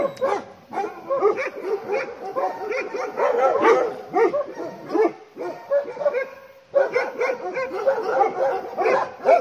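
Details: Bhotia dogs raising a barking alarm when a leopard approaches the farm; continuous overlapping barks and yips, with a brief lull near the middle before another loud burst.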